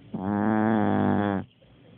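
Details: Sleeping dog snoring: one long, steady, droning snore lasting over a second, buzzy and rich with a low hum, cutting off abruptly into quiet.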